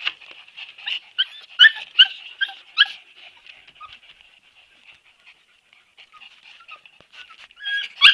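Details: Siberian Husky puppies whimpering in high, thin squeals, a burst of quick yelping cries in the first three seconds, then softer scattered whines, with a loud yip at the end.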